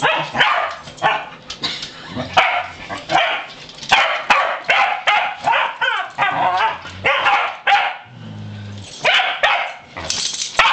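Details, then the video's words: Three unrelated male Pembroke Welsh Corgis on a farm being taken out; quick, high, excited barks in clusters, with a low humming engine-like tone briefly near the end. "Time to Take the Corgi Dogs Out"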